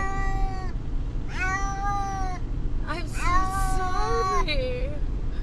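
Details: A distressed cat, Brutus the Beefcake, on the drive to the vet, with cries likened to the name "Amber": four long, level meows, the last ending in a lower, bending tone, beneath a continuous vehicle drone.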